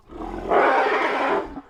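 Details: An African savannah elephant gives a rumble-roar combination call, the most common combination call in the species: a brief low rumble breaking into a loud, harsh, broadband roar.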